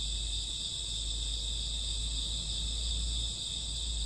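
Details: Crickets chirping on a summer or autumn night around midnight, a dense unbroken high-pitched chorus of stacked shimmering tones, steady throughout, with a low constant hum underneath.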